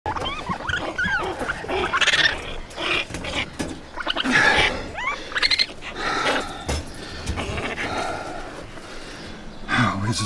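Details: Baby raccoon kits (Procyon lotor), found with their mother in a den under a hot tub on a back patio, give a nearly constant stream of high, wavering squeals, whines and chittering cries.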